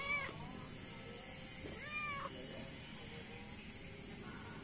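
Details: Three feral cats and a kitten fed in the morning give a short sharp meow, then a longer arched meow about two seconds later, then a faint final mew, all over steady background hiss.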